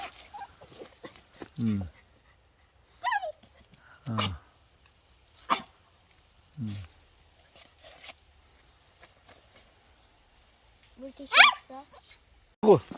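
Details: Puppy, raised two months in an apartment after weaning and given to an acquaintance, wet from rain at a reunion one month later: short falling whines near two, four and seven seconds, then a high rising squeal, with human voices between.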